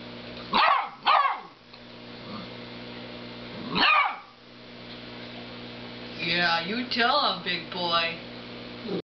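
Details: Dog barks at a snoring cow. Three short, sharp barks open the recording, two in quick succession and one a few seconds later. A rapid, wavering run of higher yelping sounds follows near the end.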